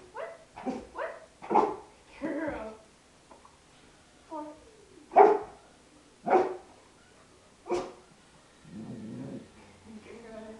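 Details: Izzy, a three-year-old female Golden Retriever kept as a pet, barks on command while showing her tricks, including speak. Several loud, short barks come in uneven bursts, some with a rough growling edge, while a person talks between them.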